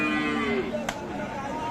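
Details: Sahiwal cow with calves at the Aftabganj market, Dinajpur, Bangladesh: a single falling moo that fades after half a second, followed by a sharp knock, with faint music and talk behind.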